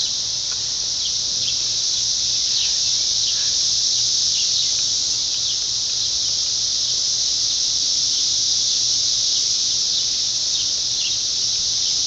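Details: Hundreds of 17-year periodical cicadas high up in trees form a dense chorus, a steady, high, hissing drone with no break.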